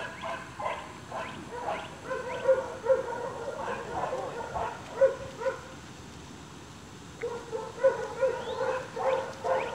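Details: Playful Staghound puppies near seven weeks of age, chase instinct being roused; rapid strings of short yelps and whiny yips repeat in quick clusters, pausing briefly midway before resuming.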